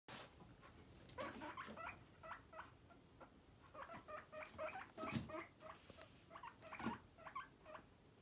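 A guinea pig gives quick, squeaky whistles in rapid bursts.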